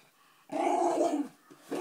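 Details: Puppy whimpering and grumbling at a treat it has been offered, a drawn-out whiny vocal with wavering tones lasting about three quarters of a second, then a brief softer whine; indoors.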